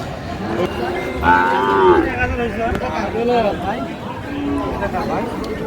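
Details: Sahiwal cattle at a Tangail livestock market on 4 March 2025, where a farmer is buying bulls; a rising, harmonic moo near the middle stands out over steady crowd chatter and people calling out prices.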